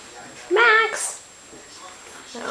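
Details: Teddy Bear Shichon puppy in a nursery with its littermates, giving one short high whimper that rises, then slides down and holds, with soft rustling and a person's voice nearby.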